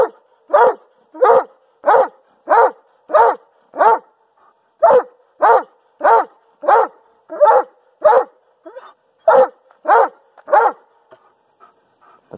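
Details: A Doberman Pinscher barks loudly and steadily on command, about one deep bark every half second, measured at about 128.7 decibels from roughly 24 inches from his mouth.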